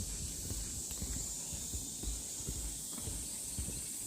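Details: Cicadas in summer woodland on the Deogeumsan Sollbaram trail, Namwon, 16 August 2019: a steady high-pitched buzzing drone runs unbroken throughout, while footsteps crunch irregularly along the path.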